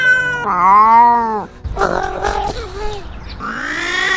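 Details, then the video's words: Domestic cats fighting up close: a long, rising then falling yowl, followed by a harsh hissing spit and short growled notes, then another rising wail starting up. "Cats Fighting Right In Front Of You"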